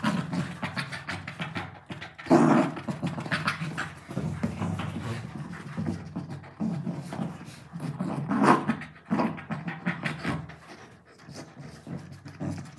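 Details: Labrador Retriever, a pet, playing with a pillow indoors alongside a German Shepherd puppy; short whimpering and growly bursts near two and eight and a half seconds over rustling and thumping from the play, with faint music behind.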